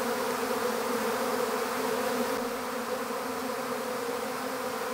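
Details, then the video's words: Steady collective buzz of a honeybee swarm at capture into an empty hive, a smooth continuous hum that eases slightly softer toward the end. "How to Capture a Honeybee Swarm"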